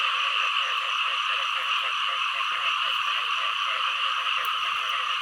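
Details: Low, throaty frog croaks in a regular, fast rhythm, several per second, stand out clearly against a constant high-pitched chorus of many other calling frogs.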